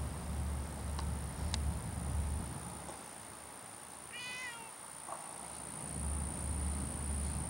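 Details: Savannah cat outdoors, eager to catch a stork, gives a short wavering meow midway, followed by a brief faint second note; steady low hum and noise throughout.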